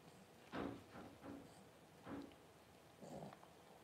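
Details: Paris, a Cavalier King Charles Spaniel mother whelping her first puppies on January 1, gives four short, breathy grunts or heavy pants, roughly one per second, in a quiet indoor room.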